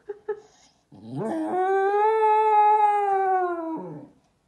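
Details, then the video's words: An English Cocker Spaniel gives two quick yips, then a long, steady howl that sounds like a cow mooing. "Cocker Spaniel moos like a cow"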